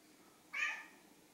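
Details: Silver tabby cat named Sushi talks to the camera with a cute voice while brown tabby Chai shows a flehmen response behind her; one short, bright meow of about a third of a second rises quickly and fades, in a quiet room.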